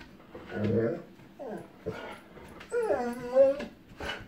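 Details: Echo, a storm-fearing female dog, whimpering after spotting distant lightning ahead of thunder; several whining cries, one long wavering high whine near the end, mixed with indoor human speech.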